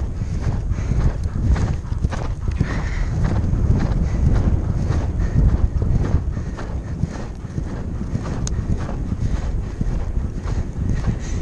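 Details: Percheron mare cantering between cross-country jumps at the Horse Park of New Jersey Horse Trials, captured on a rider's helmet camera: rapid, loosely spaced hoof thumps, about two per second, under loud wind noise.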